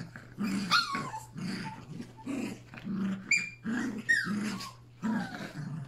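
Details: Yorkshire Terrier puppies, three together with Pepper and their mother, growl in play on August 29. Throaty growl bursts come roughly every half second, each topped by squeaky descending yips, over a faint steady hum.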